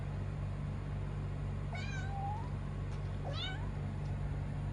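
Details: Kuro, a kitten, gives two short rising meows about a second and a half apart, thin and high-pitched, against a constant low droning background.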